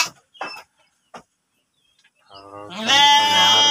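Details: Breeding sheep in a pen at Tanjungjaya village, Tanjung, Cipunagara district, Subang regency: a few brief clicks and a spoken word, then a loud, drawn-out, quavering bleat that swells and holds to the end.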